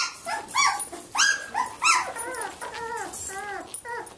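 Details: Samoyed puppies, 17 days old, playing indoors in a litter from mother Athena; a string of high, arching whimpers and squeals, some bending downward, repeated irregularly over about four seconds.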